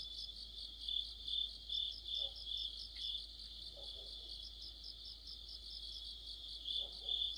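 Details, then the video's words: Autumn insect chorus led by crickets, heard near a street lamp: a steady high shrill trill with pulsing chirps repeated roughly twice a second, several callers overlapping, with faint low knocks in the background. "가을의 한 복판 곤충들의 합창"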